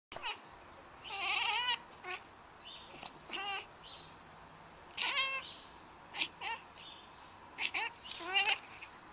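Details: Domestic cat chattering at birds outside, a series of short, high, wavering meow-like bursts with stacked harmonics, some quick and broken, repeated in clusters about every second or two over quiet background.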